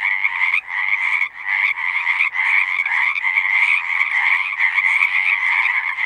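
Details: Chorus of singing frogs outdoors: loud continuous trilling croaks layered into an unbroken shimmering wall, with brief dips in intensity roughly every second or so.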